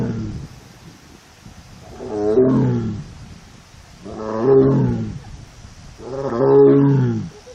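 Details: Mournful cries of a female Korean tiger in heat, alone in her enclosure at a tiger forest in a South Korean arboretum, 1 September 2022: three long, low, harmonic moans about two seconds apart, each swelling and fading.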